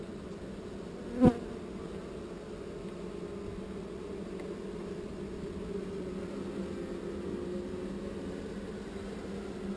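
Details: Relocated honey bee swarm producing an even, sustained mid-low buzzing drone, interrupted once early by a sharp knock, then carrying on unchanged.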